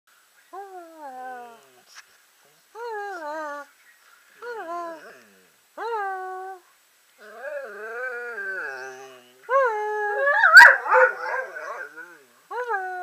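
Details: German Shorthaired Pointer "talking", as if saying I love you, indoors: a series of drawn-out, wavering whines that bend up and down, in separate phrases about a second long, with a rougher, louder burst toward the end.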